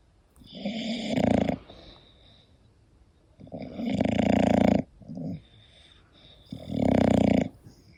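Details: An English Bulldog snores while sleeping, three heavy raspy snores spaced about three seconds apart, with a short softer snort between the second and third.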